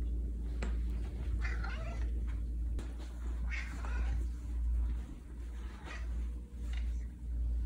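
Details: Simon the Siamese cat meowing indoors, one of a run of progressively quieter meows: four or five short, nasal meows spread across several seconds, some in quick pairs, over a low steady background hum.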